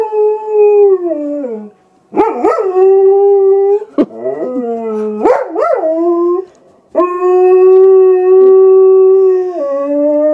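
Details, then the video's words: Triggered by an animal on the television, Silva the German Shepherd produces operatic-sounding howls: drawn-out steady notes sliding downward, broken by quick rising-and-falling yips, ending in a long level note that drops at the close. "our nutty German Shepherd sings an Operatic aria !"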